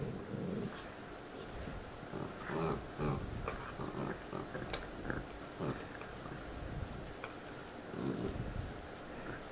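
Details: Two pet dogs chewing bones and growling at each other over them: low rumbling growls in short bursts with gnawing and clicking noises between.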